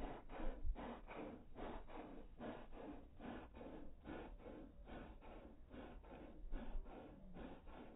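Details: Slowed-down panting from a dog, a regular train of soft, airy breaths roughly every half second, slightly quieter and rougher, with nothing else heard.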